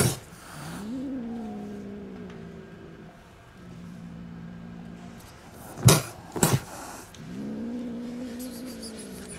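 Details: Angry kittens with their mother cat in a house garden, five kittens born there, reacting to a person bringing food: drawn-out wavering tonal cat cries, three separate ones, with two short harsh noisy bursts near the middle.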